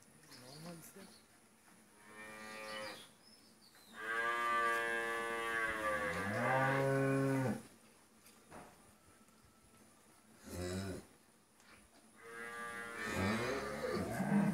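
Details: Friesian cow in her first calving, four-tooth age, kept with her heifer calf on a dairy farm in Pabna, Bangladesh; deep harmonic moos: a short one, then a long swelling bellow lasting several seconds, and another rising call near the end.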